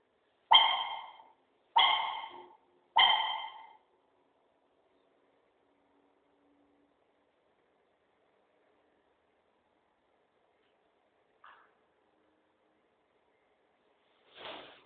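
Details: Munin, a pet dog, making its characteristic "puik puik" on seeing its owner: three short, squeaky, tonal yelps in quick succession over the first four seconds, then near silence broken by two faint brief sounds.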